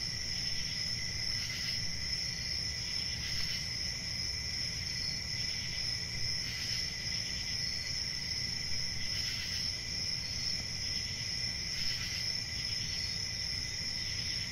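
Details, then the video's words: Chirping crickets form a dense, ringing high trill, with louder bursts of chirps breaking through about every two to three seconds; a faint low hum runs beneath the chorus. "1 Hour of Cricket Sounds"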